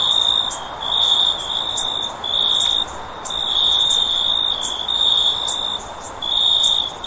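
A cricket trills steadily on a high, pure pitch in short bursts with brief pauses.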